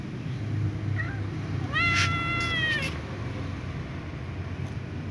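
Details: Little ginger cat with a sprained, hurting left leg gives one clear drawn-out meow, rising then gently falling, preceded by a faint short mew; steady low background hum throughout.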